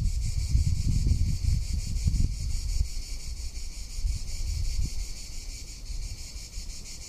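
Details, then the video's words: Cicada in summer in Tuscany: a continuous shrill, high buzzing drone with fine rapid pulsing that holds steady for the whole stretch, under strong low wind rumble and gusts. "Cicada or Cigarra - Sounds of summer in Tuscany"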